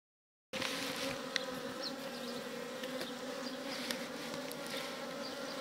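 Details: Indian honey bees (Apis cerana indica) at a hive entrance in the Kashmir Valley in spring, 25 April 2022, flying in and out with pollen: a continuous, even, low droning buzz with a slightly higher overtone, faint ticks and passing whines.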